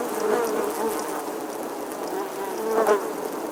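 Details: A summer bee's buzz, a continuous low droning hum that wavers in pitch and grows briefly louder toward the end, over a soft hiss of background noise.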